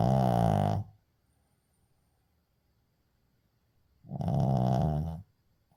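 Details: A Shih Tzu dog snores in its sleep, recorded 6 May 2024: two deep, rattling, buzzy breaths with a quiet pause between them.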